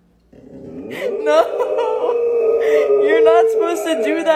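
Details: Boxer dog named Rocky, scolded by its owner for doing something its breed does not do, gives a sustained, wavering howl-like vocal with rich harmonics lasting about four seconds while a person speaks.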